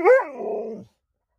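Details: Alaskan Malamute answering its owner with a short woo-woo vocalization: a quick rising yelp that slides into a lower, wavering moan, under a second long.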